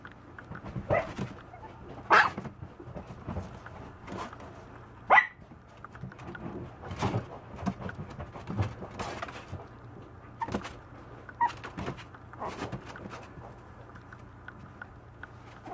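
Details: Maltese puppy barking indoors: short, sharp barks at irregular intervals, with a few loud yaps standing out and softer, whiny sounds between them against a quiet room.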